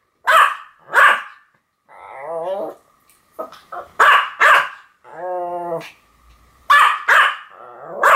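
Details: Two Pomeranians, Sam and Marin, bark in a duet: sharp, high yapping barks in pairs, broken by drawn-out, wavering whining cries between the bark bursts.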